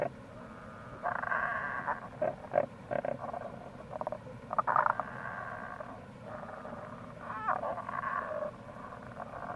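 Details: Tago's brown frog (Rana tagoi) calling in April near a gorge by the Kamo River, Itoshima, Fukuoka, Japan: low grating croaks in bursts of about a second, several overlapping, with short clicking pulses between and steady stream noise beneath.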